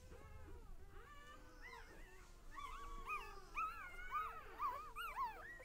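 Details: Puppies of a litter at one day old: a faint, steady hum beneath rising and falling high squeaks and whines that grow busier and overlap toward the end.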